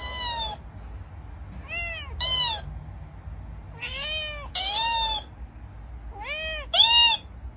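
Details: Domestic cat meowing repeatedly: about seven short, arched meows, mostly in quick pairs with brief pauses between, each rising then falling, over a faint low background hum.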